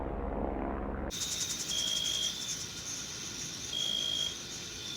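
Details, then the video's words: Meadow insects in June: after an abrupt cut, a continuous high-pitched cricket chorus with two longer, thin, steady chirp trills standing out over the buzzing background. "Sounds of Summer: Sleep and Relaxation Nature Sounds, Crickets, and Insects - A meadow in June"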